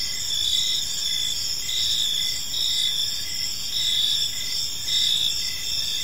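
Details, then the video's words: Evening in a quiet park, where a chorus of crickets keeps up shrill pulsed chirping, regular bursts swelling roughly every second above a constant high insect drone. "Park Serenade: Cricket Sounds in a Peaceful Park | Evening Ambience"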